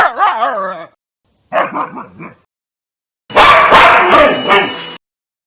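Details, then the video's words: A dog lets out a quavering, tonal whine, then a short run of choppy yips, followed after a pause by a loud, harsh, rough bark-growl burst lasting over a second. "Hundebellen, Bellender hund sound, Hunde bellen"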